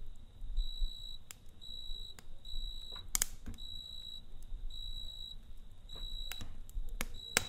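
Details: Campfire night scene with a cricket chirping in a rapid, regular rhythm of short high trills, overlaid by frequent crackling and snapping of burning logs and a faint low hum.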